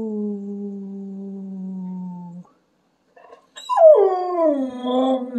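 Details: Playful Siberian Husky asked to sing: a person holds a low steady note for about two seconds, then after a pause the dog answers with a sliding, descending, wavering howl.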